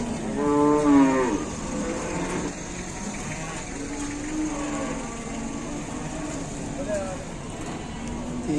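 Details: Calf on an Indonesian cattle farm, running wild and charging about, gives a short harmonic moo near the start, then softer lowing amid background chatter and noise.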